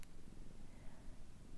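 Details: Pet cat resting on her bed in Meanjin on Jagera and Turrbal country, 15 June 2024, purring softly; continuous deep pulsing rumble throughout, a short tap at the very beginning, quiet room.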